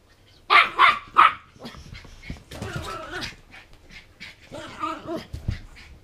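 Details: Three quick, shrill barks open the clip from Mabel, a 14-week-old Border Terrier puppy excited after a toffee popcorn binge. A person talking and scuffling noises follow.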